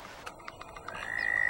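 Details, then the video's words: Toad calling in a vernal pond: a few scattered short pulses, then a steady high trill that begins abruptly and swells louder to the end. "toad calling in vernal pond"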